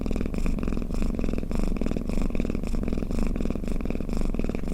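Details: Resting house cat snoring and purring: continuous deep pulsed rumble rising and falling with each breath, roughly every half second, steady and close, nothing else audible.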